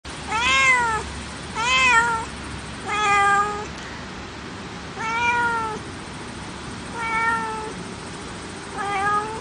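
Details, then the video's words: Domestic cat meowing six times over about nine seconds: clear, harmonic, slightly arched meows, each roughly half a second long, spaced one to one and a half seconds apart, over a steady low hiss. "Sound of familiar animals, various species of felines: Cat"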